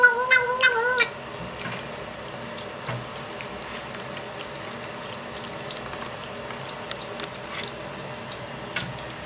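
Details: A hungry cat gives a loud, wavering meow with rising and falling harmonics during the first second, followed by quiet room background with faint clicks and taps.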